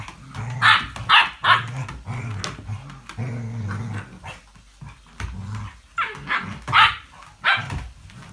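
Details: English Springer Spaniel recorded on 05.02.17, giving short sharp barks in bursts over low rumbling growls, some barks closely paired, with quieter gaps between.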